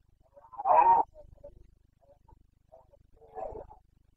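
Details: Red deer stag of the Carpathians, Bucovina, Romania, in rut on 29 September 2022: one loud, rough, harmonic roar lasting about half a second, followed by faint grunts and a quieter second bellow.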